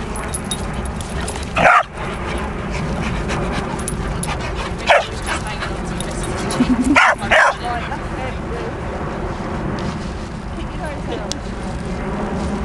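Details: Playful barking from a pair of 9-month-old dogs, a Rhodesian Ridgeback and a Presa Canario, romping together: short loud barks near the start, one mid-clip, and a close double bark later, amid shuffling noise.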